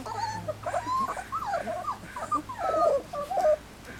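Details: Standard Poodle puppies, three weeks old, out of doors for the first time, give a stream of high wavering whines and squeals, several pups overlapping, over a faint constant low hum.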